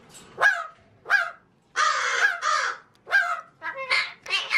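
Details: Talking pet magpie, male, mimicking human speech indoors: rasping, word-like bursts, single notes then a longer garbled phrase, followed by quick choppy syllables.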